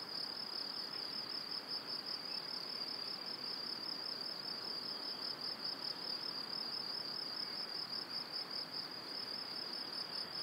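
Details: Crickets calling at dusk close to a cereal field and forest in Powidz Landscape Park, Wylatkowo: a continuous high, ringing trill made of fast regular pulses, about two and a half per second in the rhythm, with faint background noise.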